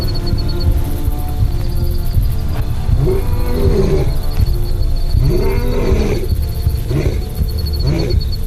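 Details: At night near a waterhole, a male lion gives deep, rumbling roars in repeated bouts, bellowing out his superiority, over background music.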